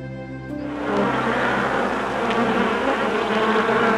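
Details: A bee buzzing steadily, a dense rough drone spread across a broad band, starting after faint music and holding to the end.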